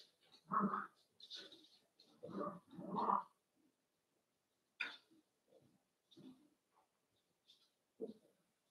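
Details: Cavalier King Charles Spaniel puppies playing in a puppy pen inside a home: short grunting yips and growls in quick bursts over the first few seconds, then scattered softer squeaks and huffs separated by quiet.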